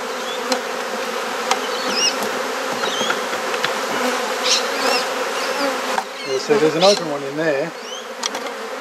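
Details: Honey bees at a garden hive in Perth, Australia, during a hive inspection with frames being swapped; a steady, dense low hum fills the clip, with faint high chirps and a wavering tonal sound near the end.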